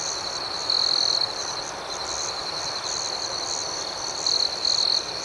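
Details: A dense nocturnal cricket chorus outdoors: constant high, shimmering trills with a rhythmic pulsing overtone, punctuated by brief louder ringing bursts early on and again toward the end.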